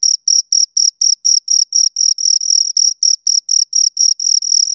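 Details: Two crickets chirping, stridulating with wings or legs: high-pitched pulsed chirps repeated about four times a second in a steady rhythm, some pulses running together, with no other sounds.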